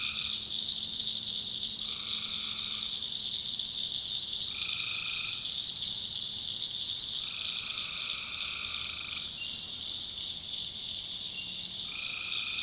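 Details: Swamp at night in the North Carolina backwoods, full of tree frogs: a constant high-pitched chorus overlaid by lower, nasal trills, each about one to two seconds long, repeating every few seconds across the recording.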